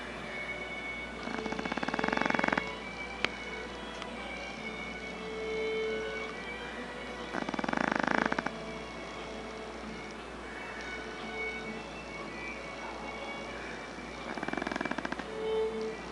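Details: Tico, a Chihuahua kept for several years by a family, snoring in his sleep on the night of 11 April 2011; three raspy, fluttering snores come about six seconds apart, with faint steady tones in the background.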